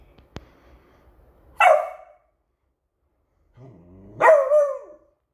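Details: Pet Beagle in alert mode barking at a new squeaky toy; two loud, sharp barks about two and a half seconds apart, a faint low rumble before the first and quiet pauses between.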